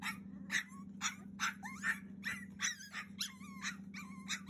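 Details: Cavalier King Charles Spaniel puppy aged 42 days pleading to be let out, June 2021: drawn-out whistled whines that bend up and down, mixed with clipped yelps about once a second, steady low hum behind.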